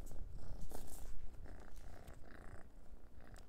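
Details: Low continuous purring from Noah, an orange pet cat playing with a dried minnow before eating it, mixed with scratchy rustles and soft bumps of the treat being handled.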